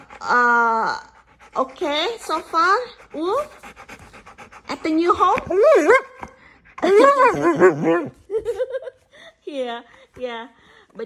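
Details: Husky malamute mix in a small room, chatting with its owner in a series of bending, yodel-like whines and short howls, some level and some sliding up and down, alternating with the owner's speech and panting.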